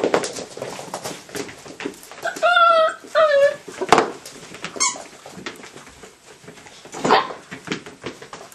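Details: Hungarian Vizsla puppies, 49 days old, playing with a retrieving dummy; two short, high whining yelps that waver up and down, followed by thin squeaks amid clattering and knocking play noises indoors.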